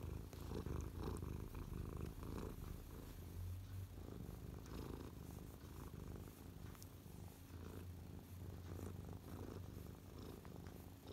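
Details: Close-up purring from Mia the cat, settled on a lap in a contented mood after earlier killing a feather, December 12, 2023; low throbbing purr, fast and steady, with light brushing noises.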